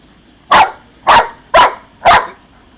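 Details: Old English Sheepdog barking in a garden while doing tricks on command; four loud, sharp barks spaced about half a second apart, with quiet background in between.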